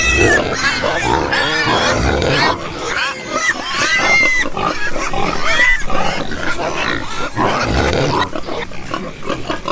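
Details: Farm pigs making a busy chorus of shrill squeals and harsh grunts, calls overlapping densely with brief pauses, several clear tonal squeals rising and falling near the middle.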